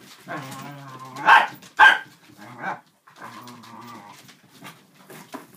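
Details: Dachshund pack of three adults and two puppies at play with a cardboard box and cat tunnel: two loud sharp barks stand between long, low, wavering tonal sounds and softer rustling.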